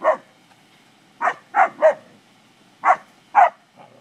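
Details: English springer spaniels playing around cattle give clustered barks: a single bark, then a quick triple, then a pair after a pause, each short and punchy.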